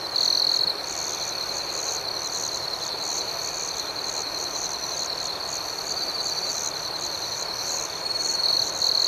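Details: Nighttime chorus of crickets in an outdoor setting, a continuous shrill high trill with a fainter pulsing line above it, louder buzzy chirp bursts briefly at the start and near the end.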